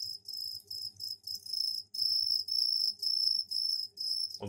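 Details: Captive crickets singing out of sight behind a cardboard piece in a cleaned container; high continuous stridulating trills in long bursts with short pauses, steady faint low hum, and a thud at the end.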